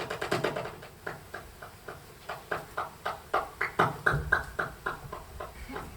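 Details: Bat echolocation recorded in autumn (All Saints' 2020) near an office, made audible by a bat detector as a steady train of dry, smacking clicks, roughly four per second, varying slightly in strength over a faint hum.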